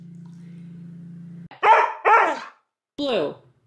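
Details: Siberian Husky talking back to its owner after a low steady hum. It makes two short, whiny yowls in quick succession, then a falling, moaning howl-like vocalization after a brief pause.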